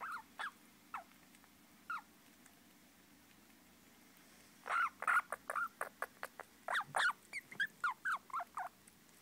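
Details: Baby squirrels making scattered single squeaks at first, then a rapid burst of sharp chirps and clicks, around fifteen calls crowded into the last five seconds.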